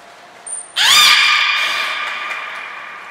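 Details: Captive beluga in training at Port of Nagoya Public Aquarium, January 2021, one of Nana, Mirai and Niko: a thin high tone, then an abrupt, loud, upswept creaky call with strong overtones, sustained and slowly fading.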